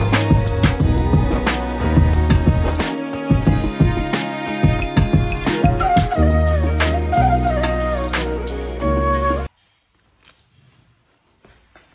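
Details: Upbeat instrumental music with drums and a flute-like melody plays, then cuts to near silence near the end.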